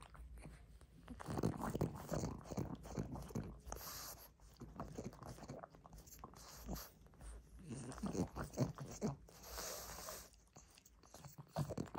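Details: Greedy chewing of a rope toy, heard close up as repeated wet crunching and gnawing bursts with brief pauses; no vocal animal sound is heard.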